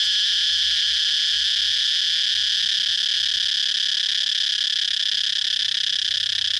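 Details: Cicadas droning in a steady, unbroken high-pitched buzz, with a bright main band and shimmering overtones. It holds even throughout, and a faint low hum sits underneath.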